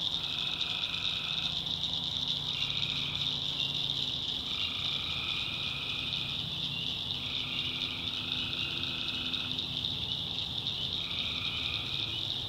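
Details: Many tree frogs calling through the night in a North Carolina swamp: a continuous shrill high chorus, with overlapping steady trills at two lower pitches, each lasting one to three seconds and alternating, over a faint low hum.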